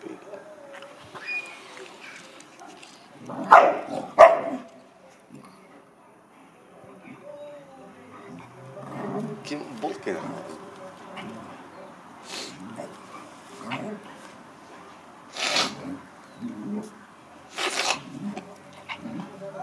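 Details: American Akita playing with a Chow Chow; scattered short barks and yelps, loudest around three to four seconds in, with later sharp bursts, over soft growly rumbling and a little human speech.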